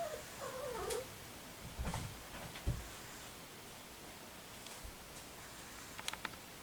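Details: Soft, wavering mew from a three-week-old ginger tabby kitten freshly over a cold with sneezing and nasal congestion; one thin descending cry in the first second, then quiet rustles and small knocks in a room.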